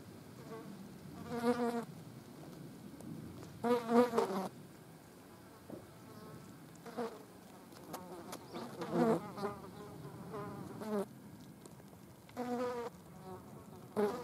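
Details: Green bottle flies feeding on a dead mouse: repeated short buzzing bursts of harmonic drone, some loud and close, others faint, rising and fading as flies take off and land, with quiet pauses between.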